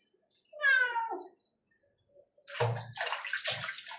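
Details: Domestic cat meowing while another cat is being showered: one clear descending harmonic meow near the start, followed by splashing water and bathroom sounds.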